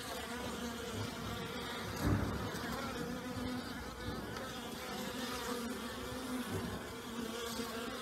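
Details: ['Honey bees all out on a mild, pleasant day early in the new year after a night of torrential rain, producing an even, thick buzzing hum; one close bee buzzes loudly past at about two seconds.']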